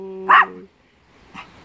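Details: Tashi, a male pet Papillon dog that loves squirrels, gives one short sharp bark after a steady whining tone, then a fainter second yap about a second later in a quiet room.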